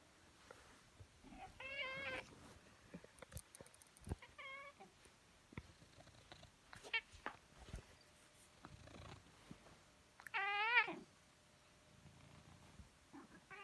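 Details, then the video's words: Domestic pet cat meowing indoors: a few short meows with stacked harmonics near the second, fourth and tenth seconds, the last one longest and loudest, set against quiet clicks and rustling. "Мой кот персик мяукает"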